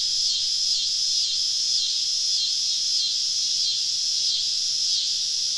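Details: Loud cicada chorus in southern woods on a summer evening during a camping trip, a sharp sizzling drone with a faint wavering pulse roughly every half second, steady throughout.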